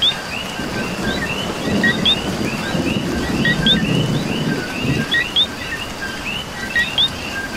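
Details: Coqui frogs in Puerto Rico during rain: a heavier burst of rainfall rumbles through the middle while a nearby frog keeps giving two-note calls, a short low note rising into a higher chirp, above a background frog chorus.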